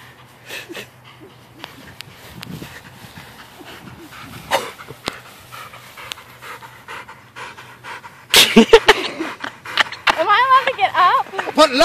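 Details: Belgian Malinois during bite-suit training at the ik9s training facility, a woman taking a bite in the suit; quick, breathy panting bursts run throughout, ending in louder wavering whiny tones, with faint handling noise.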